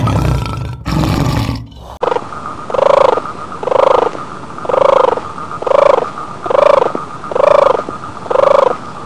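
After a brief burst of rough noise, a tiger gives a steady run of short, hoarse, moaning roars. Each one swells and fades, coming about once a second in an even rhythm.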